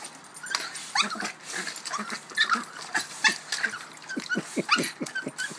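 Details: A female Boston Terrier, upset that she can't retrieve her ball while bobbing for it, whines and yips in frustration, high wavering whimpers broken by short sharp yelps.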